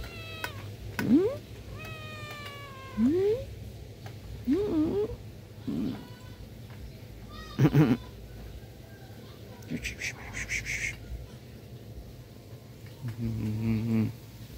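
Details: A black cat resting on a person's belly gives a series of rising, slightly wavering meows, some short and some drawn out. Scattered Vietnamese speech and soft rustling are heard in a quiet indoor room with a low background hum.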